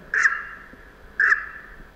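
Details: Two loud, abrupt honking barks from a sambar deer, an alarm call, about a second apart, each cutting off sharply, with a faint background hiss underneath.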